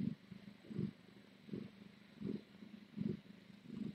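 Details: A rescue cat purring at night, picked up by a live-streaming cam at the Tiny Kittens Society: a soft, low rumbling purr that swells in even pulses about every three quarters of a second, with a faint background hiss.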